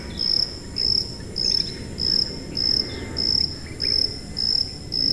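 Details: High-pitched cricket calling in a steady series of short, shrill chirps, roughly two every second, each a bright pulsed trill with brief silent gaps, over a soft low rumble of background noise.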